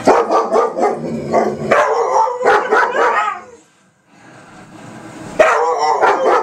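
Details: Several dogs howl together on the 4th of July 2012, in long, wavering tones, broken by sharp bangs of fireworks.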